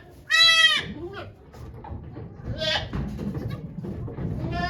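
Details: Goat at Yoshigake farm during the birth of twin kids to the goat Okayu, 3 May 2023, with volunteers watching: a loud, harmonic-rich bleat, then a softer second and a third at the end, over people talking quietly.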